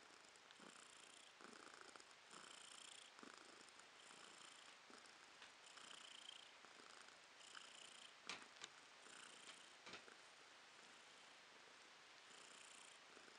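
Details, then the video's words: Purring of Romashka, a pet cat, recorded in April 2022: steady rhythmic rasping pulses rising and falling about every second, with a few brief clicks or taps mid-clip over the continuous close purr. "Кошка Ромашка урчит:)"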